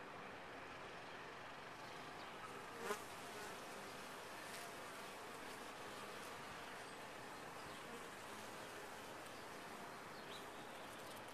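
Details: Steady drone of a honey bee colony in a top-bar hive, an even, broad hum across eleven seconds, broken only by a single sharp knock just before the three-second mark.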